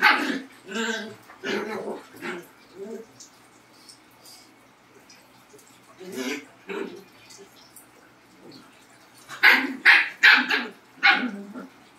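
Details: Labrador and Husky, two pet dogs, making a series of short, sharp barks in bursts, with a quiet gap in the middle and a fast cluster of loud barks near the end.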